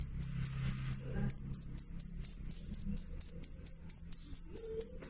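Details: Cricket, loud and clear, used against rats and as a model for songbirds: shrill high-pitched chirps, about four to five pulses a second, steady and regular, with a short gap near one second; faint low hum beneath.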